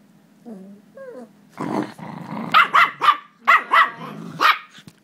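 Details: Jack Russell Terriers playing tug-of-war indoors: a few soft whines lead into a rough growl, then sharp yappy barks and growls in quick bursts, roughly one every half second.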